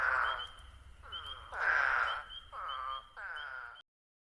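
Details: Eastern spadefoot toads in the New Jersey Pinelands give five drawn-out, buzzy, moaning "waaah" calls, with one louder than the rest. Spring peepers add brief high peeps, then the sound stops.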